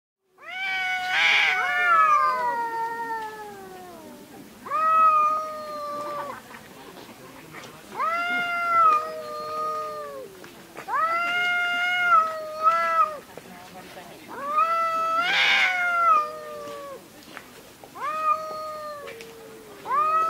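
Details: Domestic cats fighting, long drawn-out screaming yowls with strong harmonics, each wail sliding downward over one to two seconds, repeated about every two to three seconds, with a couple of harsh hissing spits between them.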